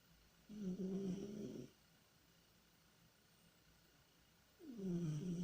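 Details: A dreaming domestic cat named Tihon lets out two long low snores, a steady droning rasp of over a second each with a pause between, the second sliding downward, in a quiet indoor setting.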